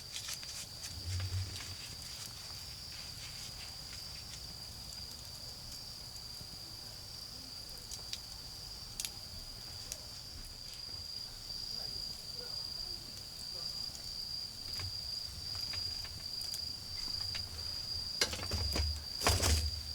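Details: Autumn insects in a garden beside a bonfire, a steady high continuous trill running unbroken throughout, with crackling fire pops and low rumbling from the flames underneath.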